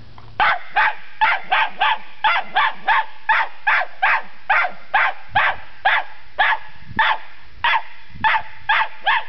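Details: A Cairn Terrier, not convinced a dead polecat is really dead, barks rapidly and steadily at it, about two sharp barks each second.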